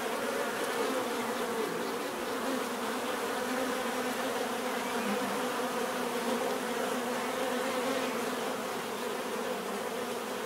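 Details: Bees droning together in a continuous natural buzz, a rich layered hum of wingbeats that never pauses and stays level all the way through.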